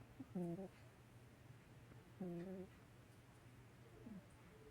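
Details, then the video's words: Sleeping Chihuahua snoring indoors: short tonal, slightly whiny snores, each under half a second, recurring roughly every two seconds over a low steady background hum. "Chihuahua Snoring"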